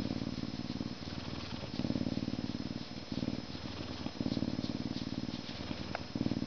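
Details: Canada lynx giving a deep, vibrating purr that pulses in waves about once a second, with a faint short squeak near the end.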